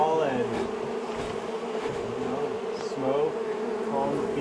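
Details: Angry honey bee colony, long established in the wall of a house, on the first day of a March 6 rescue cutout after dark. A dense, steady droning hum with faint overlapping tones and occasional brief sweeps throughout.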